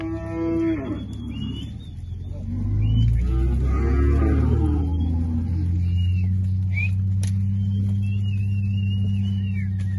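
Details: Crossbred beef calves, one to five months old, half and three-quarter Sindhi × Nelore plus Sindhi × Nelore × Angus tricross, raised entirely on pasture in Uruaçu, Goiás, Brazil; a deep, drawn-out moo with a steady low drone and birds chirping.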